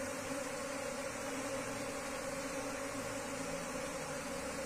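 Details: Wild Asian honey bee colony (Apis cerana) being moved into a cultivation hive box; steady, continuous droning hum with a low tone and a clear overtone above it, unbroken for the whole stretch, over a faint background hiss.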